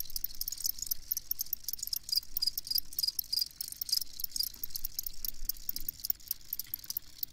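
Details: Field cricket chorus, dense high-pitched chirping trills pulsing continuously without pause, many insects overlapping, with a faint low rumble underneath.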